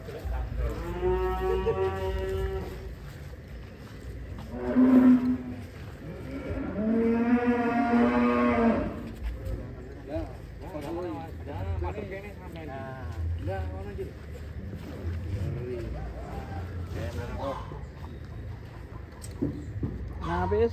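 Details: Huge show bull in Indonesia, prepared for a Jakarta contest, lowing repeatedly: a long tonal moo at the start, a short grunt-like one near five seconds and a loud, extended bellow soon after, with people talking throughout.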